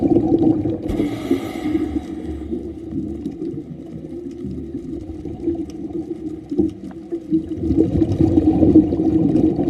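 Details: Whale song, heard throughout a daytime scuba dive near a turtle cleaning station and resting whitetip reef sharks, hums low and moaning beneath underwater rumble and bubbling breath noise.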